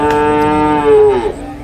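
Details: Domestic water buffalo calf at a livestock market at Cholakkal, Payyanad, Manjeri, Kerala, India, gives one steady, low, droning moo lasting over a second, falling and fading at the end, with a faint background hum.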